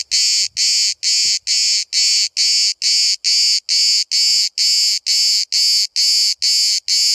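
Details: Cicada singing at close range in Bodrum, Turkey: regular pulses of loud sizzling buzz, roughly two per second, with a little low rustling at the start.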